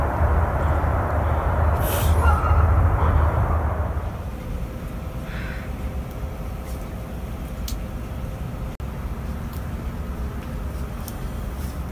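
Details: Low rumbling vehicle noise, like a bus or train with an air-brake hiss, loud for the first four seconds and then settling into steady quieter traffic hum, with no animal calls.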